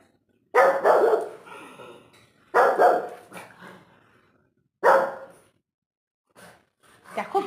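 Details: A small household dog barks loudly to drive off a cat that will not leave, three hard, harsh barks about two seconds apart, each trailing into a rough echo, followed by quieter scuffles.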